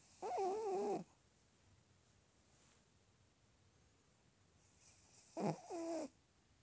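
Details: Sleeping Shih Tzu snoring indoors. Two loud, wheezy, whistling breaths about a second long, with wavering nasal tones, separated by several seconds of quiet room hum.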